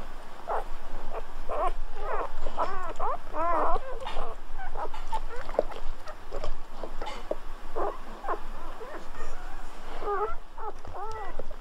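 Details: Newborn Golden Retriever puppies just after birth give high, wavering squeals, likened to guinea pigs, in quick bursts with short gaps, alongside soft rustling and clicking handling noises.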